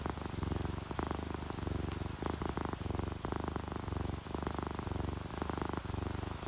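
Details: Relaxed ginger tabby and calico cats give a strong, steady purr, deep rumbling pulses alternating with each breath roughly every half second, accompanied by the gentle patter of falling rain.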